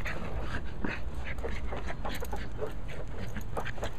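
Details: Abby, a Cairn Terrier, pants while playing with her ball: quick breathy puffs repeat several times a second over a steady low rumble.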